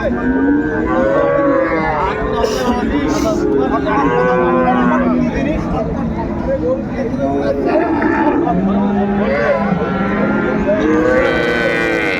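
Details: Cows and calves for sale at Ambari haat, a Dinajpur cattle market, 31/1/25. Several separate moos with arching tones rise and fall across the stretch, spaced seconds apart, over a constant hum of crowd voices.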